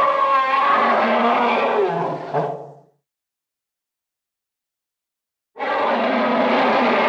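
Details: African elephant (Loxodonta africana), trumpet.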